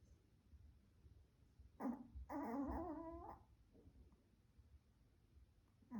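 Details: Pomeranian spitz snoring while asleep indoors: a short rough snort, then a longer harmonic wheezing snore of about a second, with quiet breathing between.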